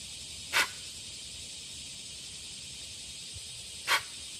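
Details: Warning sound of a deer alerting companions to danger: two brief, hissing, explosive snorts roughly three seconds apart over a quiet, faintly hissing background.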